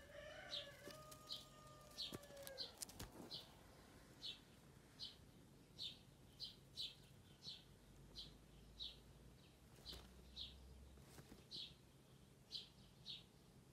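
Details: Little rabbits eating dried sorrel and chewing loudly: short, crisp crunching bursts repeat steadily about every 0.7 seconds in a quiet setting, with a few brief knocks and a faint tone early on.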